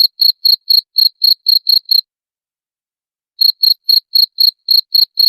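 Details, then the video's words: {'text': 'Cricket sound for repelling rats: a quick series of high, ringing chirps about four per second, broken by a silence of roughly a second and a half before the chirping continues.'} "SUARA JANGKRIK PENGUSIR TIKUS"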